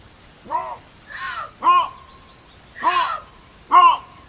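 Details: Bobcat screaming: five short, harsh, arched cries with rich harmonics, spaced irregularly over four seconds against a quiet background.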